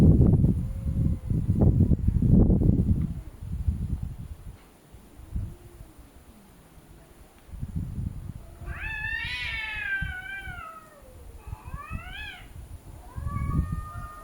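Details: Cats arguing with each other: after low rumbling thumps, a sharp rising-then-falling yowl, a shorter arched meow and a final flat wail, each harmonically rich and strained.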